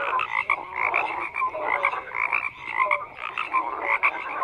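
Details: Dense croaking of many frogs, grating pulsed calls layered with short whistled tonal notes, the chorus pulsing in waves roughly every second.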